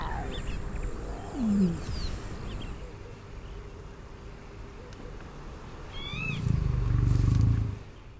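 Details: Lion cub meeting its grumpy aunt within a pride in Savuti, Botswana: a brief squeaky rising note early on, then one heavy low rumbling growl near the end, with birds twittering in the background.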